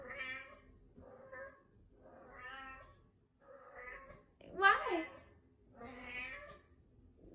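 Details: Domestic cat meowing repeatedly, about six drawn-out harmonic meows in seven seconds, the loudest one near the middle with a sharply rising then falling pitch, separated by short quiet gaps.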